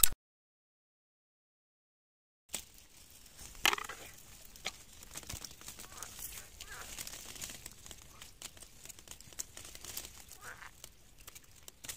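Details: Two seconds of silence, then faint crinkling and handling noise over a low rumble, with no animal voice.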